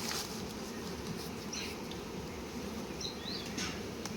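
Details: Honey bee colony buzzing at a beekeeping site where litchi honey is being collected. A constant, deep drone of many bees, with a few faint high squeaks.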